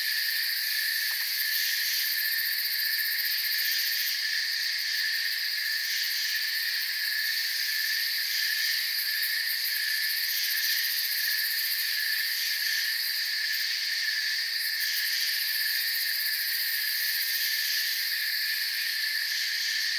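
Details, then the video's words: Crickets in a forest form a dense, unbroken chorus of high chirping layered in several shrill bands, with a faint fast pulsing shimmer at the very top and a steady, even loudness throughout. "Forest Sounds and Crickets"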